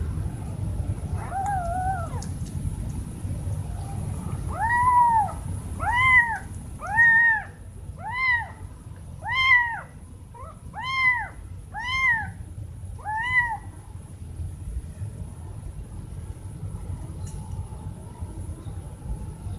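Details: Two kittens crying very loudly to their mom for food or attention: a soft opening mew followed by about nine strong, evenly paced meows roughly one per second, then quieter hum.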